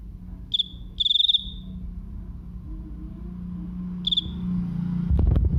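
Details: Cricket giving three loud, high, pulsed chirps, short trills at roughly half a second, one second and four seconds, the middle one longest, over a steady low hum, ending with a burst of broadband clatter.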